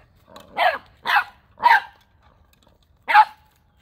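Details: Nine-week-old Boxer puppy on December 9th, 2021, confronting an unfamiliar ball for the first time, gives four sharp, short barks, three in quick succession about half a second apart, then a pause and one more bark.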